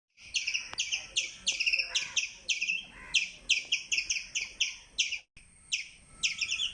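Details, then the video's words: Squirrel chirping in a fast series of sharp, high, double-banded chirps, each sliding slightly downward. They come in bursts of three to five with brief gaps, and a single faint low click is heard near the start. "Squirrel chirping Sound"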